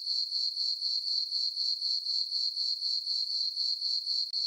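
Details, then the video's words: High, ringing chirps from crickets on a farm meadow at night under a full moon in summer, evenly repeated at about four pulses per second, with a brief dip near the end. "Cricket chirping sounds for sleeping"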